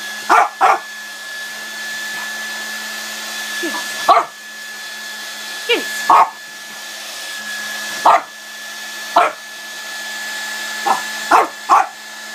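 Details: A French bulldog that disapproves of the hair dryer gives short, sharp barks over the steady whine of the running dryer.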